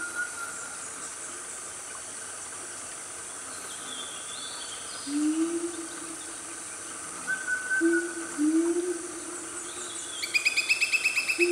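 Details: Wild Siamangs, part of a loud family in Gunung Nuang forest, Selangor, Malaysia, mid-morning: low harmonic rising hoots in two bursts, with constant insect drone, a brief high bird whistle and a rapid chattering near the end.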